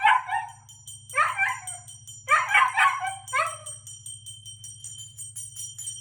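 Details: Siberian Husky; howl; response to a loud bell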